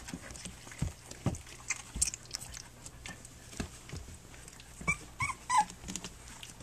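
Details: Flute's litter of three-week-old puppies nursing and playing indoors. Short thin whimpers and squeaks come in quick bursts among suckling clicks and rustling. A clearer cluster of high squeaks sounds near the end.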